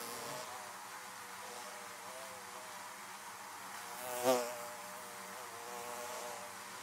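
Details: Bees buzzing around beehives: a steady layered drone of many wings, with one bee sweeping close past at about four seconds in a brief louder rising-and-falling whine.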